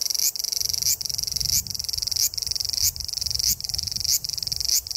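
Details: Woodland cicada on the Tokai Shizen Hodo trail in Japan: a rapid chattering buzz broken into bursts about every 0.6 seconds, each burst closing with a sharp rising flick, over soft low rustling.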